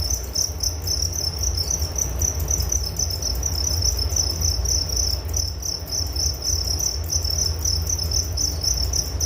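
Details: A chorus of crickets chirps without pause, a bright rapid pulsing buzz held at a fixed high pitch over a soft low background hum.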